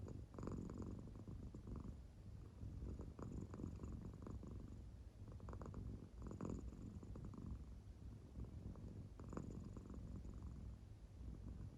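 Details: Fast-asleep indoor American Shorthair cat whose belly moves with its purring; a deep, even rumble rising in breathy waves every couple of seconds.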